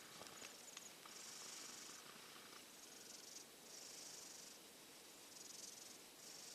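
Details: Faint, breathy snores of a sleeping silver tabby cat getting over a cold, nestled in a hot dog bed; hushed hisses rise and fall about every two seconds over steady background hiss.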